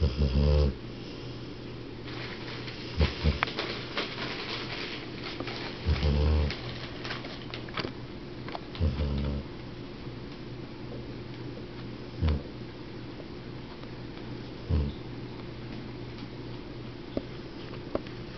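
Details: A 12-year-old dog sleeping indoors, snoring in deep low rumbling breaths roughly every three seconds, each a short throaty rasp, with a steady low hum throughout.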